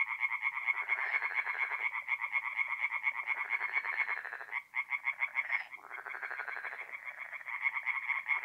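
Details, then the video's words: Tree frogs singing at night in a forest pond in mid-April, north-east Italy: a dense chorus of rapid, rasping pulsed notes, about two per second, layered from many callers with brief lulls. "relaxing forest pond by night with singing tree frogs"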